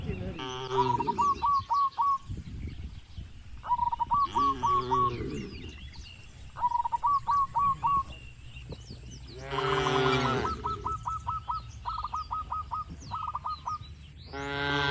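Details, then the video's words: Cattle grazing in a wide, calm oil palm plantation in the Indonesian countryside moo in several spaced bursts. A bird calls throughout in rapid, evenly repeated chirping runs between the lowing. "Moo… Bunyi Suara Sapi Lembu Lucu di Kebun Sawit yang Tenang"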